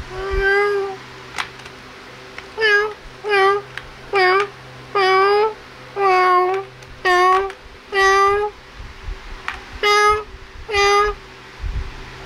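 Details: Cute kittens playing and feeding, giving a rapid series of about a dozen short, high, harmonic-rich meows at roughly one per second, each slightly rising then falling, over a quiet indoor background hum.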